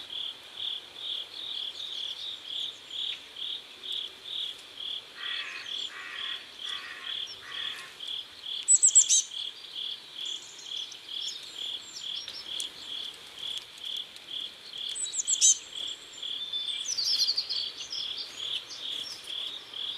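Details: Crickets at sunset by a river in South Korea, chirping steady pulses at about two per second, each a short high note, with a lower raspy burst series midway and scattered faint high bird chirps.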